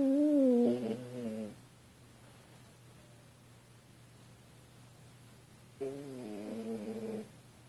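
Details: Lucy, a French Bulldog sleeping on a couch, snores loudly, each drawn breath a buzzy, wavering rumble about five seconds apart.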